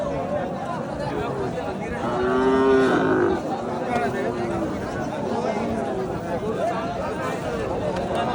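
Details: Cattle lowing at a busy Qurbani animal market, 2025, where lean cattle are sold. A single long, harmonic-rich moo rises and falls over about a second, with a fainter lowing afterward, against steady human chatter and crowd noise.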